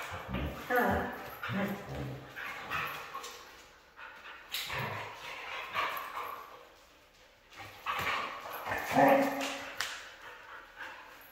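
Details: Red female Siberian husky vocalizing in a series of short, harmonic yips and whines that rise and fall in pitch, while a person talks over and between the calls.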